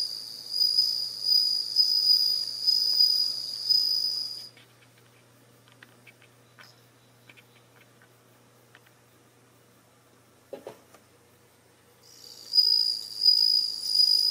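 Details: Bell crickets kept at home, about ten with only one female, begin singing in early September as autumn deepens: a pure, high, bell-like trill in pulsing bursts, pausing for several seconds.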